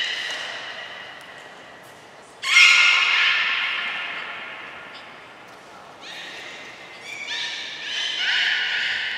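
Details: Belugas at Port of Nagoya Public Aquarium, Japan, during a training session with every animal taking part, 2 April 2023: a sudden loud raspy squeal after a faint start, then quieter buzzy, squawking harmonic calls toward the end.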